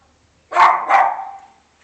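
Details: A dog gives one short two-part bark, a sharp harsh onset followed at once by a second fading burst, with quiet before and after.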